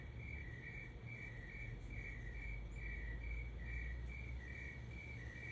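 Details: Cricket song at 3 am, rapid regular chirps about three or four per second in alternating higher and lower tones, backed by a louder low rumbling hum.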